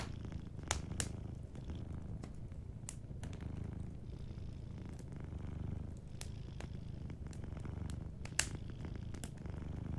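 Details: Soft, continuous purr from a sleeping cat, a deep throbbing rumble holding steady throughout, with scattered crisp crackles from a warm fireplace popping irregularly over the top.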